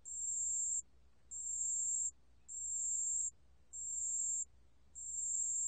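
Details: Steady high-pitched trilling of a pale bell cricket, archived by Korea's National Institute of Biological Resources in 2020; five clean, bell-like bursts of about 0.8 seconds each, evenly spaced with short silent gaps between them.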